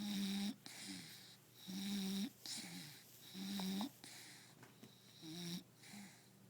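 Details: Napping Bulldog Akua snoring: four or five drawn-out, rattling, wheezy snores roughly every 1.7 seconds, each a low buzzing grunt with airy hiss above, in a quiet room.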